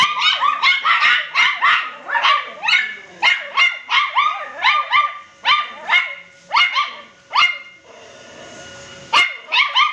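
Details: Poodle-cross puppies at home bark in a rapid, excited run of shrill yips, nearly continuous for eight seconds, then a brief pause before a final quick burst.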